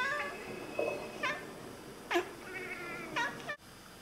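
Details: Two Oriental Siamese cats indoors chattering toward birds: a run of quick staccato harmonic chirps in bursts roughly a second apart, rough and clipped, ending in a sharp cut-off.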